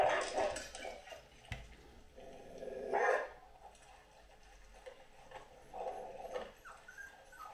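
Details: Great Dane Anúbis makes a few loud bark-howls spaced several seconds apart, with a sharp thump partway through and quieter whining tones after it.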